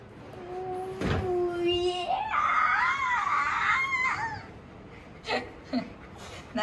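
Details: Golden Retriever at home, overjoyed as the younger son returns from the school opening ceremony; high wavering whines, first a steady held tone, then bending, rising-and-falling cries over several seconds, followed by a few soft scuffs.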